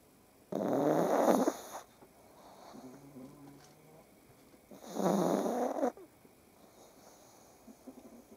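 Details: In the morning, just waking up, a pug lying on its owner alongside other pugs and cats snores in two long, rasping breaths, each over a second with a pause between.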